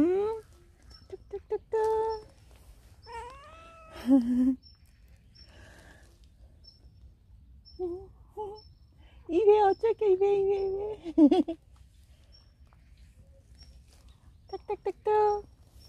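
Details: Stray cat frequenting a workplace asks for petting, belly exposed; repeated meows of varied length, some wavering and drawn out, others short and clipped, spread across the stretch alongside people talking.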